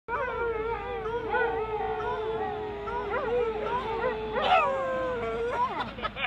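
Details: Husky and Basset Hound howling together at a dog park, the tail end of a group howl: long sustained wavering tones holding steady with rising and falling inflections layered over each other, a brief yelping break near the end.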